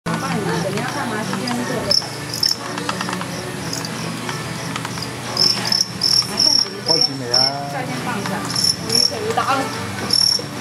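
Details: Crickets in a cricket-fighting bout at a cricket hall in Hutoupi, Xinhua, Tainan: short high-pitched chirps in quick bursts, clustered in the second half, over steady chatter and voices of people nearby.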